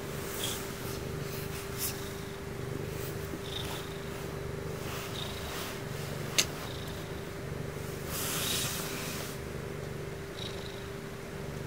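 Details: Purring female Ragdoll cat during her bedtime routine, a soothing sound said to make the listener sleepy; continuous low rumbling with rhythmic swells, occasional soft clicks and rustling, and one brief sharp tap midway.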